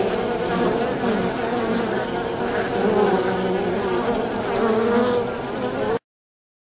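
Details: Polybia occidentalis, the avispa angolita, a social wasp forming large swarms; a continuous low wing buzz with gently wavering pitch for six seconds, then silence.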